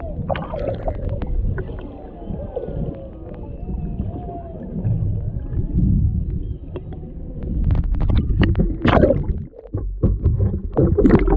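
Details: Humpback whales underwater off Maui, Hawaii, a mother and calf near a boat with a male in the background, captured on a GoPro Hero 7 Black: faint wavering tonal moans rising and falling beneath heavy low water rumble, gurgling and sharp splashing clicks.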